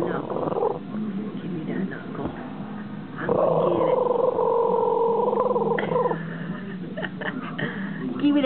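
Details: A male Boston Terrier gives a sustained, high-pitched, rumbling growl in play as his owner pretends to take his knuckle bone, the owner talking over it.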